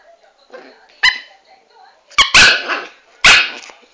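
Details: Dwarf Pomeranian named Chanel giving three sharp, high yapping barks spaced about a second apart, the later ones rough and bursting, with a woman talking in Italian between them.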